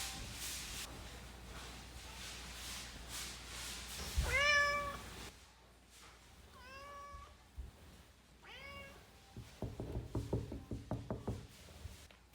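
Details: Cat trying to get into a room: three short rising meows in the middle, surrounded by thumping, knocking and rustling noises indoors.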